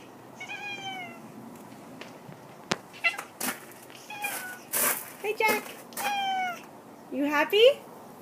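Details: Excited pet cat in a new netted cat enclosure, showing the owner around; several short rising-falling meows spaced through the clip, with rustling, thumps and the owner talking softly.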